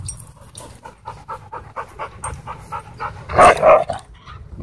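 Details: Dogs, a German Shorthaired Pointer, Huskies and a wolf dog, racing and wrestling through a dog park; steady rhythmic panting about four breaths a second, then a short loud growling bark near the end.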